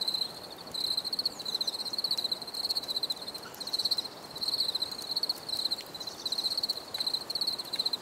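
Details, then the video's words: Crickets chirping in a nature recording: high-pitched pulsed trills in short bursts, each about half a second long, repeating steadily with brief gaps, over a faint hiss and occasional soft clicks. "Bruit de Grillons"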